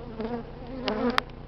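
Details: Honey bee swarm in an oak tree in southern California on a cold early-March day; close buzzing bees with wavering droning tones and a short sharp click near the end.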